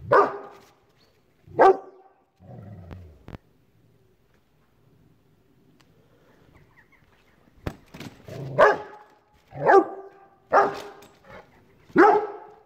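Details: Rottweiler reacting to a chair indoors: deep, loud single barks spaced about one second apart, with a low grumbling growl between early barks and quiet shuffling sounds.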